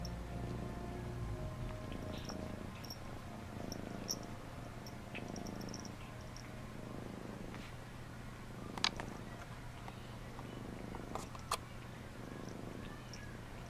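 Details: Steady, low throbbing purr from a cat at bath time, Phoebe bathing Phluffy; the rumble holds throughout, broken by a few soft clicks and two sharp ticks.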